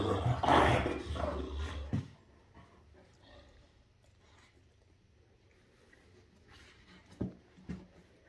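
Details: Two Great Danes, Rhapsody and Wächter, playing together during morning fun. A loud, rough, rumbling burst fills the first two seconds, then near quiet, with two brief sharp sounds toward the end.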